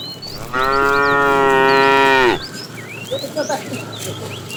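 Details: A fat cow in a tame herd being driven in the afternoon, calling the female: one long, steady, harmonic-rich moo lasting about two seconds, ending abruptly, with small birds chirping throughout.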